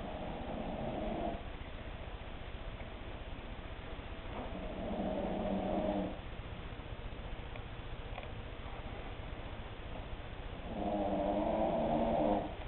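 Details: Cavalier King Charles Spaniel, a short-snouted breed, snoring while asleep indoors: slow rough rasping breaths in drawn-out swells about every five seconds, quiet hiss between.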